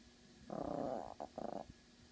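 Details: Female Yorkshire Terrier named Pyper growling out a window to warn the neighbours; one rough, rapidly pulsing low growl lasting nearly a second, then a shorter second burst, in a quiet indoor room.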